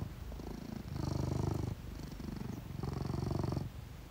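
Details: Low rhythmic purr from a Sphynx cat, one of Tesla and Edison, rising in two long swells about two seconds apart, each breath of rumbling clearly separated by a quieter pause.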